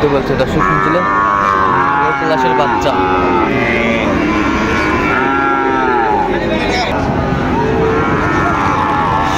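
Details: Sahiwal bull calves at the Raniganj cattle market in Dinajpur on 29 August 2024 give a series of arching, rising-then-falling moos, one after another, over a noisy backdrop of people talking.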